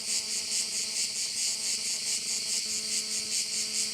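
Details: Cricket chorus over one of the bays of Korčula, a bright, continuous high-pitched trill that swells and fades roughly twice per second, with a faint steady engine-like drone underneath.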